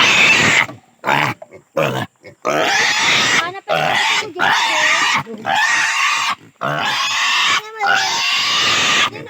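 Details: Native pig squealing during castration: harsh, rasping screams of roughly a second each, broken by short silent gasps for breath, the cries rough and noisy rather than clearly pitched.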